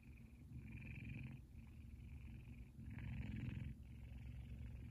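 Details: Kumba, a male F2 Savannah cat, purrs loudly while sleeping and twitching. The purr is a steady low rumble that swells and fades in breath-length phrases of about one second, with a faint higher hiss over each phrase.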